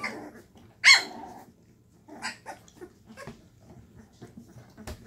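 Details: Llewellin Setter puppies, 2.5 weeks old, in a whelping box indoors in the evening, stirred up by their mother; one sharp high yip stands out, followed by softer scattered squeaks and small vocal sounds.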